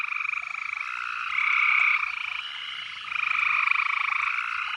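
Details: A dense frog chorus of fast, buzzy pulsed trills swells and fades as voices overlap, sung from the trickling water of a horse trough on a summer night just after sunset.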